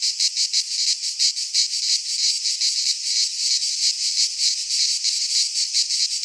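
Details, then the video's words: Pine-forest cicadas in Greece during midsummer sing a piercing, grainy buzz, pulsing roughly three times per second in an even, throbbing rhythm. "Cicadas singing in midsummer - Nature sounds from the Greek fauna - Sounds of cicadas"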